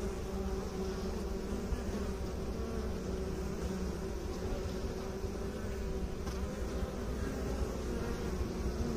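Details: Bees, with beekeepers mentioned, producing a constant low buzzing hum with clear tonal drones and an unbroken, level intensity.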